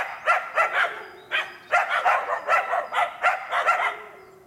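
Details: Two Karelo-Finnish Laikas, Rus-Fin (2 years) and Kaya (8 months), bay at a penned wild boar during trial preparation; a run of about a dozen clipped, ringing barks, evenly spaced and loud.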